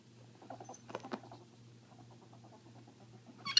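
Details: Female pet ferrets play-fighting indoors over dominance, one deaf and screeching, the other dooking with excitement. Rapid, soft chuckling pulses run throughout, then a sudden shrill screech at the end; low hum behind.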